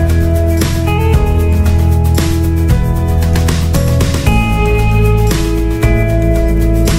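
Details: Strummed guitar music with steady bass notes plays throughout, and no animal voice can be picked out.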